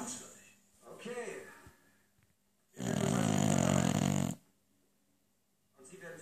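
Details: Lucy the beagle snores beside a running television. One long, rough, loud breath of about a second and a half stands out between quiet stretches and snatches of German TV speech.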